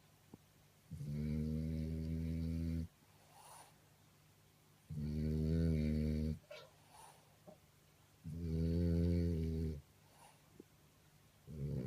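A French Bulldog snores loudly in deep, rumbling bursts about every three and a half seconds.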